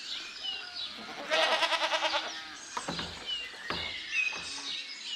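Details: A sheep gives a loud, wavering bleat, then softer, shorter bleats, as lambs graze in a cool green forest with faint bird chirps.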